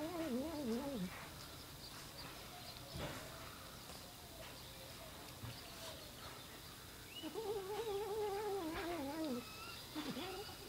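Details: Funny cat noise from a domestic cat: two long trembling, warbled meows at the start and end, the second stretched over two seconds and sliding downward, with quiet room hum between.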